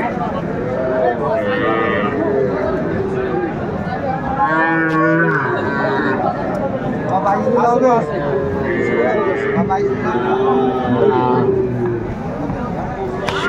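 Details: Small Sahiwal bull calves for sale to Dhaka farmers, February 2025: a chorus of repeated bleating moos, some short and quavering, others drawn out and bending downward, layered over busy background voices.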